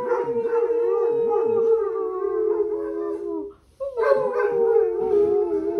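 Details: Pet Basset hound giving sustained, mournful howls over a weekend, each note long and fairly level with small wobbles, a brief silent gap for breath midway, then the howl resumes just as loud.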